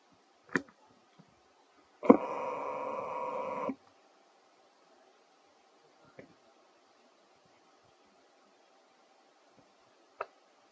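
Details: Baby monkey named Leo, given banana fruit to eat, gives one steady, harmonic whining cry lasting under two seconds, with a few scattered sharp clicks and taps before and after against near silence.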